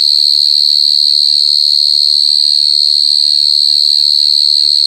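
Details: A mole cricket (gangsir) gives a very loud, steady, high-pitched trill that runs on without a break.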